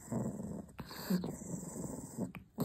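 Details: Pet dog Shasha guarding her chew, a possessive puppy: low rumbling growls in long bursts with brief pauses, mostly deep and steady, with short sharp clicks between bursts.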